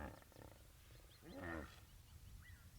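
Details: A hippopotamus carrying oxpeckers on its head, on an African safari, gives a deep, pulsing grunt that swells and fades, followed by a faint bird chirp.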